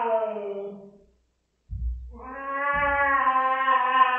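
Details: Domestic cat Rosetta yowling after a spot-on flea pipette treatment: a long, harmonic, descending wail, a short silence with low thumps, then a second drawn-out, steady moaning yowl.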